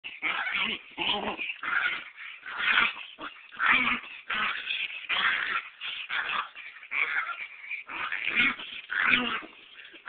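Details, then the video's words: Chihuahua, described as tough and ferocious, recorded on a cellphone: a rapid run of short, breathy yips and wheezy whimpers, about two a second, harsh and uneven, with no other clear sounds. "Eddie the Chihuahua kicking my butt"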